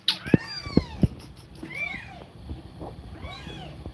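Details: A mother cat feeding milk to kittens and breathing quickly gives short arched meows, about three in four seconds, mixed with sharp clicking knocks and a faint background hum.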